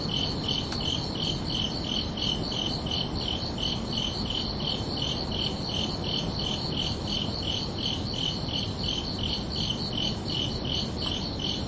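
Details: Crickets chirping through a calm summer night, rapid regular high chirps close to three per second from overlapping callers, accompanied by a constant low background wash and a couple of faint clicks.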